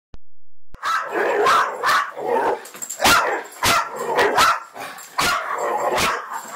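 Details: Bracco dog barking in quick, uneven bursts of sharp, mid-pitched barks, some overlapping, with brief quieter gaps and a faint hiss between them.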